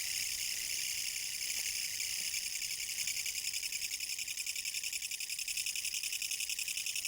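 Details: Kutsuwamushi katydid singing in autumn 2014: a loud, continuous buzzy rasp made of rapid, evenly spaced pulses, about two or three per second, filling the high register with a steady, dense chorus-like drone.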